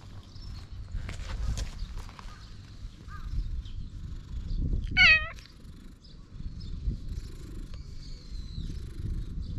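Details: Weakened ginger tabby stray cat found on a cat island in Japan gives a single short, clear meow midway, with low outdoor rumble, handling noises and faint high bird chirps around it.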